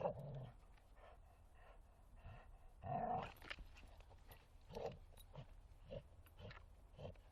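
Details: Bull Terrier at play in a forest, with short growls and grunts scattered among rustling and thuds, one longer throaty growl near the middle.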